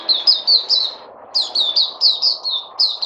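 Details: Puteh (white-eye), a kept songbird given supplements, recorded 3 August 2020, singing two runs of rapid high twittering notes, each note dropping slightly in pitch, with a brief pause between runs and faint background hum.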